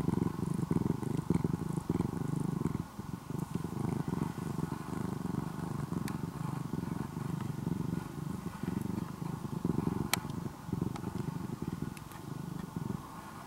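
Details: Orange-and-white ex-stray kitten, now nearly a house cat in Japan, gives a long engine-like purr: a low continuous rumble rising and falling with each breath, a brief dip near three seconds, occasional faint clicks.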